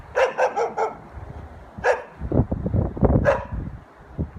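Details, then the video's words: Dog barking in its natural environment: a rapid run of four barks, then two more isolated barks after a pause, with low rumbling background noise throughout. "Dog Barking Sound Effect || Dog Sound Video || Dog Sound || Dog Barking Loud"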